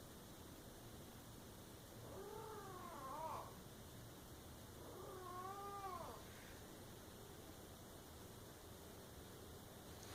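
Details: Domestic cat giving two drawn-out, wavering meows about three seconds apart, each rising then bending down with a falling tail, over a steady low background hum and otherwise quiet room.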